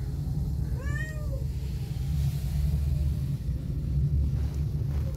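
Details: Fluffy kitten giving a single short, arched meow with rising then falling pitch, over a constant deep rumbling background noise.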